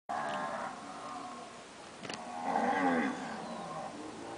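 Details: Purebred standard Nelore cows that have recently calved give two drawn-out, harmonic moos, the first brief and the second louder and falling toward its end, separated by a quiet gap with a faint click.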